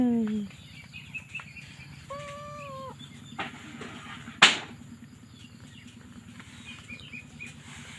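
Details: Kitten crying: a short falling cry at the start, then a level, rounded meow held for almost a second, with a sharp knock later and a constant low humming drone throughout.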